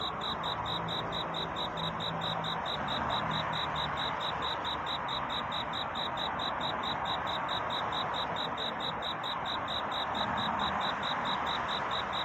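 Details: A cricket's night courtship chirping, a long regular train of tiny high pulses, near four per second, carried over a dense, even hiss throughout.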